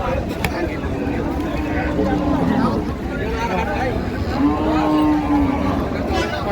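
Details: Cows and calves for sale at Ambari haat, a cattle market in Dinajpur, Bangladesh, 16/1/26: two drawn-out, even-pitched moos rise from behind steady crowd chatter and background hubbub.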